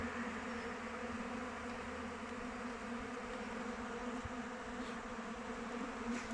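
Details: Dense, unbroken drone of many honey bees flying around a kept hive in open weather, low and even in pitch with a rich layered hum and no pauses.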